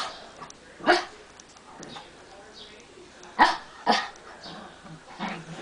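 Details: Brussels Griffon named Barley, a pet dog sharing a bed with another dog: three sharp, short barks spaced irregularly over several seconds, with a person talking quietly between them.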